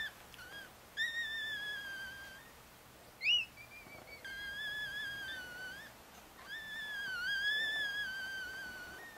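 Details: Newborn Chihuahua pups, four days old, lying with their mother Bess in Fredericksburg, Virginia; the litter is four boys and one girl. Three drawn-out, wavering high squeals are separated by pauses, with one short sharp yelp in the middle.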